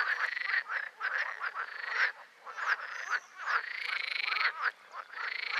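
Green frogs giving loud, rattling, quacking croaks in quick pulsed bursts, one call running into the next.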